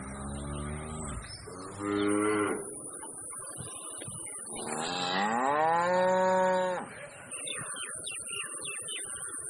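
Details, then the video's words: Large bull in Pakistan lowing: a short deep moo, a brief rising call, then a long drawn-out moo rising and falling in pitch over about two seconds, with a steady high electrical whine in the background. "Biggest Bull sound Effects"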